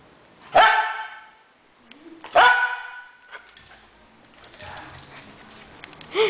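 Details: Fox Terrier dog giving two sharp, strong barks about two seconds apart, followed by softer rustling noise and a final short bark at the end.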